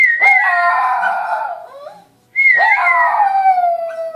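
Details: Shih Tzu howling early on a Saturday morning: two long wavering howls, each starting high and sliding down with rich overtones, separated by a brief quiet gap.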